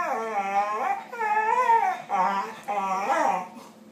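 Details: Two deaf rescue Staffordshire Bull Terriers talking to each other with long wavering howl-like whines, four drawn-out bending moans in quick succession, rich and tuneful, indoors with a faint hum.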